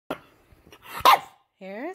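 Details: A 5-month-old English Bulldog puppy, fussy just after a bath, gives a sharp bark, then a rising, nasal whine, with a person talking nearby.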